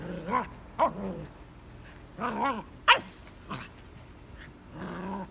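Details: Scout, a young Vizsla, gives wavering, high whines and yelps punctuated by one sharp bark, reacting to his first red ball in his digging spot.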